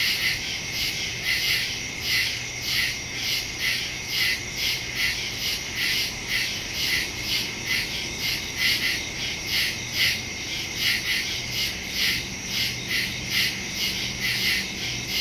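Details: A woodland night chorus of crickets from September 2, 2023, recorded by phone (Samsung Galaxy S22 Ultra, Shure MV88+ stereo mic); bright, buzzy chirps repeat in a continuous pulsing rhythm, several beats each second, with a quiet hum underneath.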